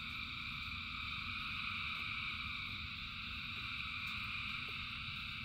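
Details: Huge frog chorus in the rain: continuous high, buzzing trills blend into a seamless drone, rain pattering low beneath and an odd faint drip now and then.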